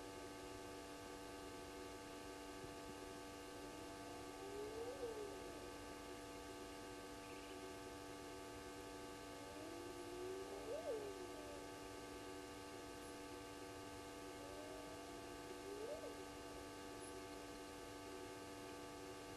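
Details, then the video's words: Hyenas heard calling in the night at 02:35, 29 May 2020, near Gowrie dam waterhole on Djuma Game Reserve, Sabi Sand Wildtuin, South Africa, via a live camera: three distant rising whoops spaced about six seconds apart over a steady electrical hum. "Hyenas heard calling"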